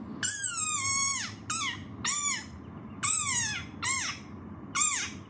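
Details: An angry desert rain frog gives a run of shrill, squeaky cries like a dog toy, the first long and drawn out, described as a war cry.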